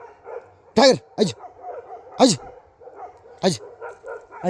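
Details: Himalayan sheepdog (Bhote Kukur) in Nepal giving four loud, explosive barks about a second apart, while a person calls to it and softer yelps continue underneath.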